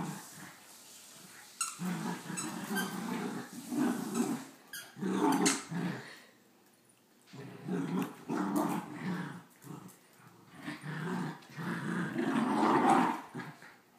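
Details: Two dogs play-fight over and destroy their favourite stuffed squirrel toy, with near-continuous harsh growling in uneven bursts of one to two seconds, broken by short pauses and scuffling, in a small room.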